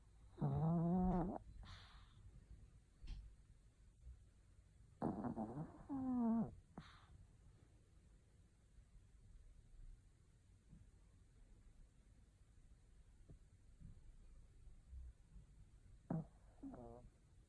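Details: Maltese dog asleep indoors, snoring quite loudly: three nasal, harmonic snorts about five and ten seconds apart, each roughly a second long, with soft breathing and quiet room noise between them.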